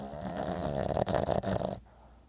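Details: An 11-year-old Boston Terrier snores while twitching in sleep, a rough, rattling breath that pulses in quick bursts.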